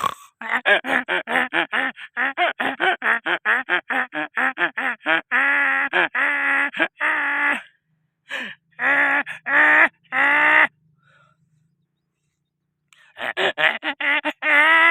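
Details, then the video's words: A donkey brays in long loud bouts: quick runs of harsh, rasping honks with rich harmonics, followed by slower longer notes, a pause of about two seconds, then another burst of rapid honks. "funny donkey sound/very funny voice donkey"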